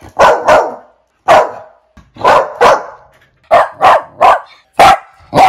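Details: Barking domestic dog from a compilation of fifteen breeds: loud, rough barks mostly in pairs, with short pauses between bursts, a few slightly tonal at the end.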